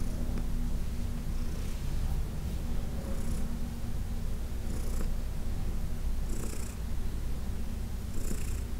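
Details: Massage-time purr from Heidi, a senior adopted cat, June 2021: an even, low buzzing rumble sustained throughout, punctuated by short soft hissy strokes roughly every one and a half seconds.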